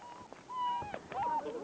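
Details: Six-week-old German Shepherd puppies, three from one litter, outdoors after rain; thin whistled whines hold level near one pitch, separated by soft gaps, over light background hiss.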